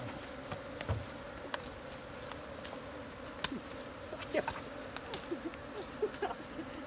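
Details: Wild honey bee swarm in a jungle tree in Nepal, being caught by bare hands and moved into a modern hive; a steady, low droning hum with a higher overtone holds throughout, broken by scattered soft clicks and taps.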